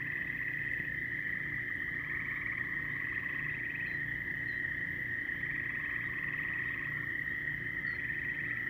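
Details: A chorus of frogs: an unbroken shrill ringing tone carries through while repeated rapid pulsed trills, some higher and some lower, come in bursts about every one to two seconds, with soft low rumble beneath.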